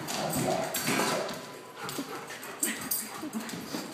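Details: Akitas grumble, whine and mutter in short bursts while playing rough with their best friend, a German Shorthaired Pointer; all the noise is play talk, not aggression.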